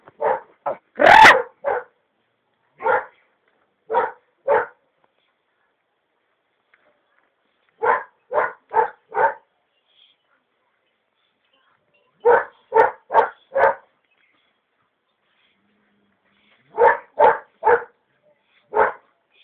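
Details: A young Belgian Malinois puppy, still with milk teeth, in a short bite-training session on a bite pillow, gives sharp, fairly high barks in tight volleys of three or four, separated by pauses of a few seconds. One louder, harsher bark comes early.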